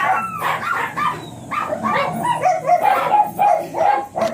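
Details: Ziggs, a blue Miniature Pinscher at a Manaoag kennel in the morning, gives rapid high-pitched yips and barks in uneven bursts, some with a whining rise, over faint background hiss.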